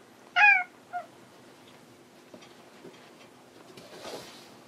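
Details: Hanu, a house cat looking for its companion Monaka, gives a short meow and a quick softer second mew, followed by faint tapping and a soft rustle indoors.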